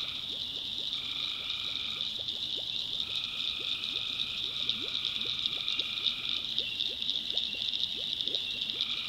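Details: Tree frogs calling at night in a North Carolina backwoods swamp: a dense, steady high-pitched chorus, over which a lower pair of sustained tones switches on and off, while many quick rising chirps repeat rapidly underneath.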